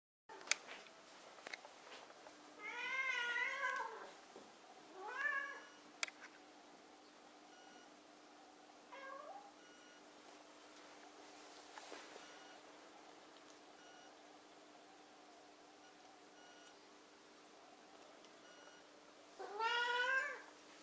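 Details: Burmilla cat, a sweet and friendly pet, gives three drawn-out, wavering meows indoors: a long one early, a shorter rising one soon after, and another near the end, with quiet room tone and soft clicks between.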